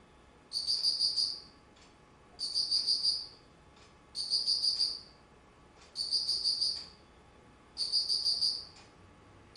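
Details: Insect singing in autumn, 19 September 2009: five high-pitched, rapidly pulsed bursts, each under a second of ringing chirps, repeating at an even pace of roughly one every two seconds against faint hiss.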